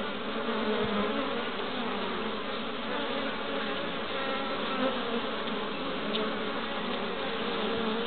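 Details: A dense, steady hum of many western honey bees busy at their hive entrance, bringing in pollen, Pembrokeshire, west Wales, 11 March 2012.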